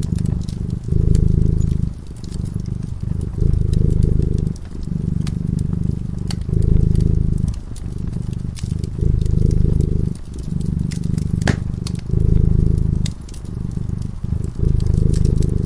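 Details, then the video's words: Low rumbling purr from a cat dozing before a crackling fire, pulsing in regular louder and softer stretches about every one to two seconds, with frequent small pops and crackles from the burning wood. "Purring cat"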